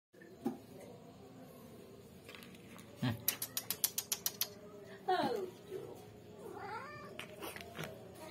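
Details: Domestic cat eating fried scad (ikan layang) gives two short, wavering meows, one bending down and the next rising and falling, after a quick run of sharp clicking taps; low room hum underneath.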